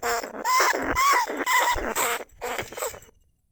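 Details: Lesser bandicoot rat calling inside a trap cage, recorded live in 2569 at Na Lao, Nong Khu Phai, to lure rats. A few loud, wavering, nasal squeals follow one another quickly, then softer, rougher bursts fade to silence.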